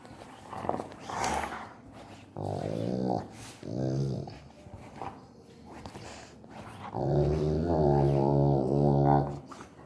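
A Rottweiler makes low, drawn-out grumbling and moaning noises with a wavering, voice-like tone.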